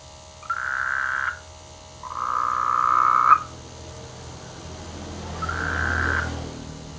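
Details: Frogs in village rice fields in the rainy season; three drawn-out buzzy croaks, the middle one longest and harshest at over a second, separated by pauses of about a second, with low rumbling background.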